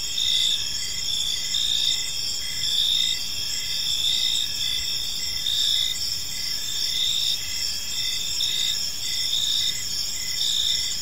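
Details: Evening chorus of crickets in a peaceful park, continuous shrill high trilling layered in several bands, with short chirps repeating about once a second and soft low-frequency ambient noise underneath.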